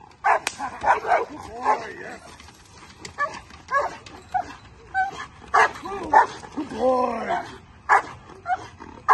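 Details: During table work training, a Bull Terrier gives scattered sharp barks, one to two per second, interleaved with a handler's spoken praise and commands.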